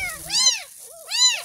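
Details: A 10-day-old kampung kitten protesting its first bath: two clear, high, arching meows about a second apart, separated by a short softer mew, in a quiet room.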